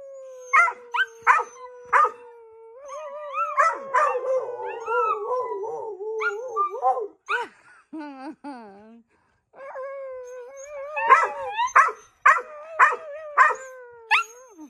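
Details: Dogs howl in steady wavering tones, punctuated by regular sharp barks at the start and end and a brief falling whine in the middle.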